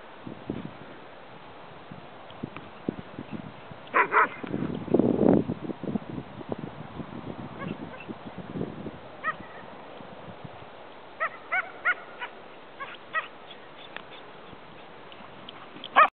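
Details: A Saluki and a German Shepherd play and run loose together in a horse pasture during morning horse feeding. Short sharp barks burst out near the start, then a string of brief yips follows over steady background hiss.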